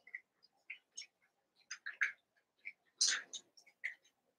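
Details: Eight young Cavalier King Charles Spaniel pups together in a room give brief, sharp, high-pitched squeaks about once a second, some doubled, with one longer, louder squeal near the middle.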